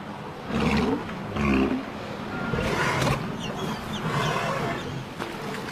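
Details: Walrus calling: two loud, harsh, roaring bellows in the first two seconds, followed by rougher, lower grunting and groaning sounds, with a steady noisy background throughout.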